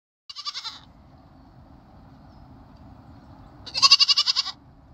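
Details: Baby goat bleating: two high, quavering bleats with a rapid pulsing tremble, a short one at the start and a longer, louder one near the end, separated by quiet with a low background rumble.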